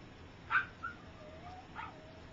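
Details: Three-week-old puppies of a dog named Gypsy learning to walk, some still sleeping; two short high yelps with a thin whine trailing between them, over a soft background hiss.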